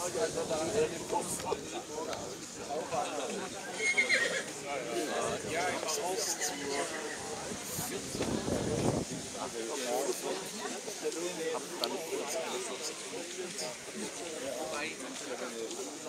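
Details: Schwarzwälder Kaltblut mare Mara MR, by Rubiniero out of Milka S, shown at the Rossfest Zukunftspreis in St. Märgen on 10 September 2022; a whinny breaks through constant crowd chatter and announcer speech.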